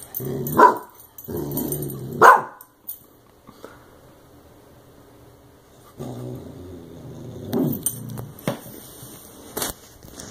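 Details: Clumber Spaniel puppy confronting a compressed air can; two loud barks close together at the start, then a long quiet stretch and softer low grumbling noises with a few clicks and knocks near the end.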